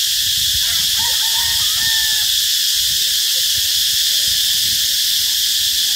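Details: A cicada gives a loud, steady, hissing buzz that never lets up, recorded at 11:44 on 2 March 2023 beside a school road in Bình Hoà, Vietnam.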